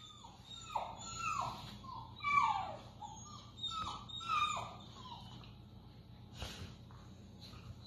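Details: Four-week-old Briard pups playing with their mother Honor indoors; a run of high, falling whines and squeals, several in quick succession, with a brief thump near the end.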